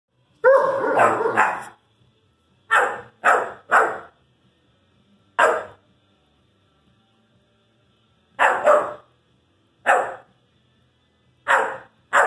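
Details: Irish Wolfhound puppy vocalising at his brother: bursts of short, rough barks and woofs, some in quick pairs or triplets, separated by pauses of one to three seconds, with quiet room background between.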